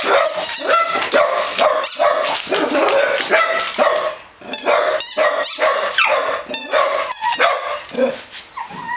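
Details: A chorus of barking dogs gives rapid, harsh barks, some rising into whiny yelps, with a brief lull near the middle before the barking resumes.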